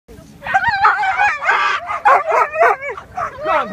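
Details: A rescue lurcher bitch at a dog show, eager to run in a national coursing competition. She gives rapid, high, wavering whines and yelps that bend up and down in quick bursts while a person urges her on.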